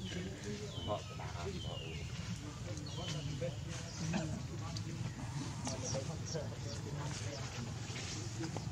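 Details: Hungry baby monkey Leo cries to his mother for milk, giving a few thin, high, downward-sliding squeals in the first three seconds, then softer fussing over a constant low rumble and scattered clicks and rustles.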